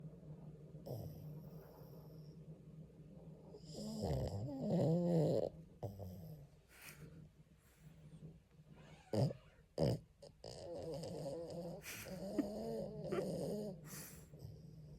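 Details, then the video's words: French Bulldog named Jjanga sleeping soundly, snoring in irregular rough bursts with low rumbling snorts and a few sharp snuffles between quieter breathing. "프렌치불독 짱아는 꿀잠중zZ 코골이ASMR"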